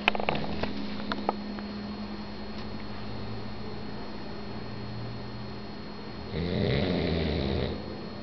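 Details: Pug asleep indoors, snoring with a low, steady, rumbling breath, then one louder, rasping snore near the end, with a few clicks at the start.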